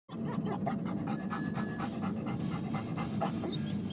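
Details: Denali, a pet dog on a car ride and hoping to go to the dog park, pants steadily in rapid breathy bursts over low engine rumble inside the car.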